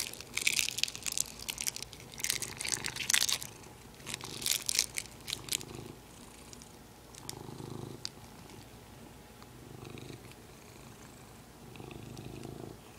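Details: Domestic cat with its favourite plastic: sharp crinkling and crackling plastic early on, then a soft rhythmic purr rising and falling in slow pulses indoors.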